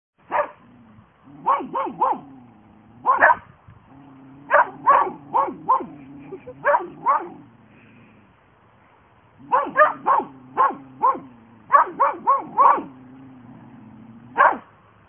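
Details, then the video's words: Two Border Collie sisters barking together in a playful, funny exchange: quick bursts of sharp, harmonic barks in rapid runs of three to five, broken by a short pause, with a low whining tone between bursts and a brief exclamation from a person. "Two Border Collies"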